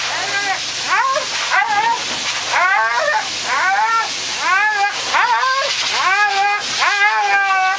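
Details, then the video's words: Thunder, a Siberian Husky, cries and howls during grooming: repeated rising-then-falling yowls about once a second, harmonic and wavering, over a steady hiss of grooming equipment. "Cry Baby Husky"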